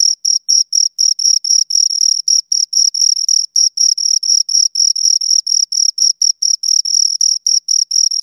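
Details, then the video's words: Two crickets chirping close up, a steady train of high, pure, scraping pulses about four per second, some pulses running together into longer trills, with clean silence between them and no other sounds. "Two Crickets Chirp Sounds"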